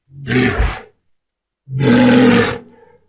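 A walrus gives two loud, hoarse bellows, the second longer and more drawn out.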